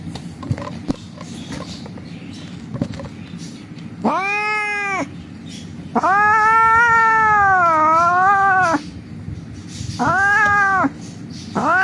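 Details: Injured street cat crying during wound dressing in a rescue, giving loud, long wailing meows, one over two seconds with a wavering dip, separated by pauses, while people speak in Bengali in the background.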